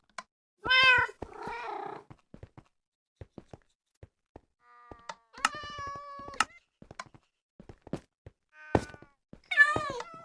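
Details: Cat meowing at other cats: a loud wavering meow and a rough growly note, then a long flat meow and a final bending one, with clicks and thumps throughout.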